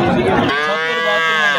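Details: Native cow with her four-day-old calf at Mirshanni cattle market during Ramadan, sold for milk. A man speaks briefly, then a long, steady, nasal moo carries for over a second.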